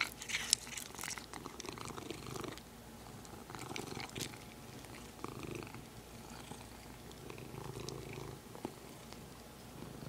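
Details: Domestic cat purring close up next to its favourite plastic material, a steady pulsing low purr running throughout, with a few light plastic rustles early on.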